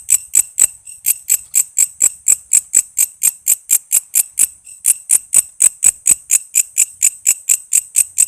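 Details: Walang kece cicada song, recorded for songbird training (murai, lovebird, cucak ijo, kacer): bright, shrill clicks repeated roughly two per second in an even, unbroken series, no other sounds.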